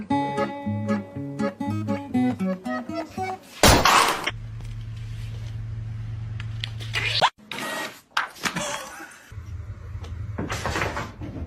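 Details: Plucked-string music opens, followed by thumps, a steady low hum and bursts of noise. No animal voice can be made out.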